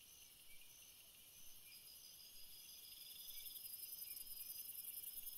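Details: Night cricket chorus for sleeping: several continuous shrill trills stacked at different pitches, a soft pulsed phrase fading in midway, and the overall chirring growing slightly louder toward the end.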